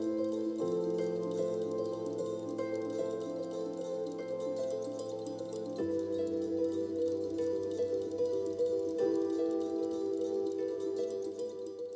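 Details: Soft sustained new-age style music with chime-like tones and steady low notes, no animal sounds heard.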